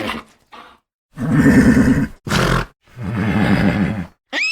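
A horse gives low, quavering whinnies in several breathy bursts with short pauses between.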